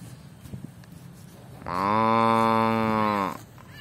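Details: Cow eating grass, giving one loud, steady, deep moo lasting about a second and a half with a rich, even tone, rising out of quiet outdoor background.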